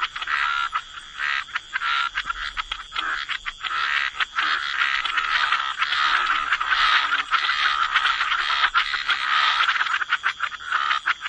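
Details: Wetland frog chorus with many frogs croaking together, forming a near-continuous rasping, crackling wall of sound broken by brief gaps.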